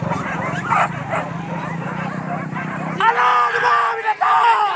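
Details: Hunting dogs on a wild boar hunt at Kayu Ampek, Tanjung Emas district, Tanah Datar regency, giving overlapping yelping barks, with the calls rising to sharp, clearer cries in the last seconds amid men's voices and shouting.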